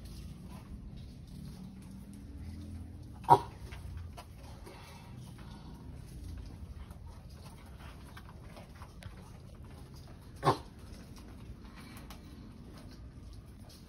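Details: Two brief, explosive grunts from a pet sulcata tortoise during mating, spaced roughly seven seconds apart, with light rustling and a low droning hum throughout.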